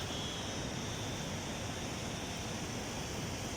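Steady broadband hiss like rushing water or distant traffic, with no clear animal voice.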